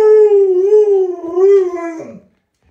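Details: Wavering howl from Luoluo, a pet Alaskan Malamute in a hide-and-seek game with its owner: a rich, harmonic tone that gently rises and dips for two seconds, then drops away abruptly into silence.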